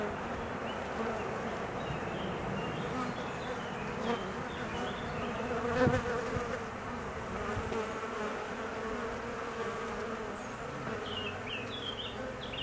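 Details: Honey bee colony grown nervous while the queen is out on her mating flight; a continuous, rough humming drone, fairly steady in loudness, with one brief louder pulse around the middle.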